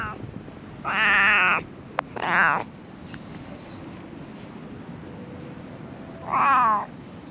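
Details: Stray cats living among illegally dumped rubbish, filmed on a GoPro HERO8: three loud, harmonic meows of under a second each, near the start, middle and end, over a steady low hiss with one sharp click between.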